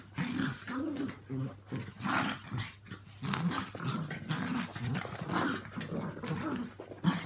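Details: Indoor play between two Yorkies, Walt (three) and Milly (four), and Harvey, a two-year-old Maltese, living together. Steady low growling rolls on in short pulses nearly throughout, with scrabbling movement sounds.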